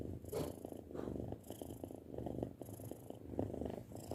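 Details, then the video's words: Young domestic cat, six months old, purring at home; low pulsing rumble rising and falling in short breath cycles about once a second, with light rustling noise. "Suara Kucing Mendengkur"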